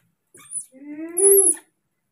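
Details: A single rising, whining cry from a baby monkey calling for its father to bring food, starting thin and swelling into a louder, sustained tonal wail that ends abruptly, with a faint high squeak at the start.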